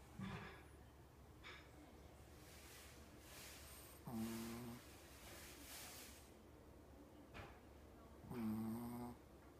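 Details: Blind 14-year-old Shih Tzu Coco, suffering terminal cancer and seizures, at home in October 2017: heavy hoarse breathing in a steady rhythm, with two short tonal groans rising out of the wheezy breaths.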